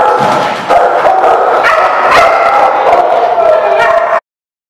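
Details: Several dogs at a dog park barking and yipping together, a dense continuous clamor of overlapping calls that cuts off abruptly at the end.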